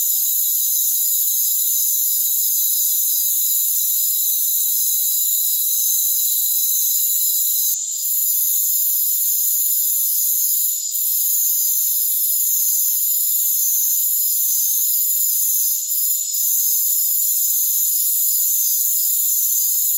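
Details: A constant, piercing insect drone from rainforest crickets, many high trills layered together without pause. A few brief clicks and slight dips in loudness appear near eight, eleven and sixteen seconds.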